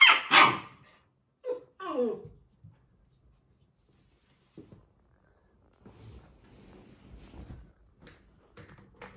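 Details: Labrador Retriever puppy scolding a human for disturbing him: a burst of sharp, high barks opens, followed by quick descending yelps, then near silence with soft rustling and shuffling.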